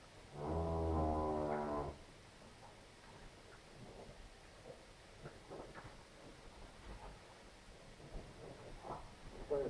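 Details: A heifer on a Polish farm moos during a problematic calving: one deep, harmonic low of about one and a half seconds near the start, followed by quiet barn noise with faint shuffles and knocks.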